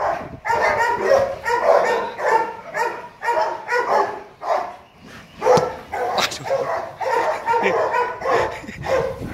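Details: Playful barking from Loki, a male Rottweiler kennel stud born 15 December 2016: quick repeated barks about every half second, briefly pausing, then resuming in a dense, slightly uneven series.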